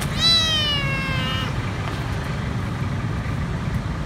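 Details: Hungry stray kitten hiding beneath a food truck outside a grocery store: one drawn-out, wavering meow that slowly falls in pitch, then only idling engine rumble for the rest.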